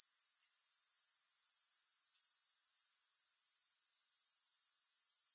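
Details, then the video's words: Unbroken shrill insect trill from grasshoppers, evenly pulsed around four times a second and holding a steady, high, hissing tone throughout, with no music or other sounds. "Grass Hopper Sounds"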